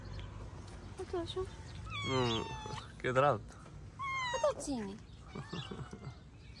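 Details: Hungry stray cats, including a calico, in a mosque garden in Morocco, with three loud wavering meows in quick succession midway, then quieter mews, over light background noise.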